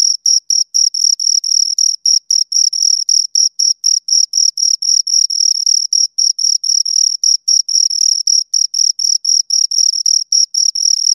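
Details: Pair of crickets chirping continuously: high scraping pulses in a fast, slightly uneven rhythm near four per second, occasional bursts running together as the two callers overlap, against silence.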